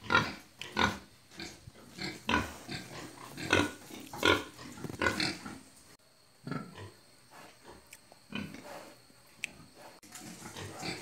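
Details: Pigs raised traditionally on an Assam farm in India, grunting in bursts. Harsh, noisy grunts repeat roughly every second, loud at first, then a pause and softer, more scattered grunts with faint background hum.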